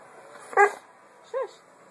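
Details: Boxer puppy Dozer barking for attention at home while dinner is being made, something he does almost every day: a short, sharp harmonic yap, then a quieter rising-falling whine-like bark about a second later, over a low household hiss.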